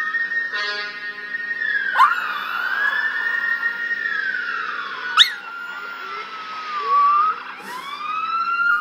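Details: A male Russian Toy Terrier in Manhattan howls in long, wavering glides that rise and fall, mimicking passing NYPD police sirens.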